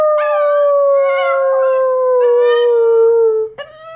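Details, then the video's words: A puppy holds one long, clear, tonal howl that sinks gradually in pitch, then breaks into a brief higher yelp at the very end. "Puppy howls"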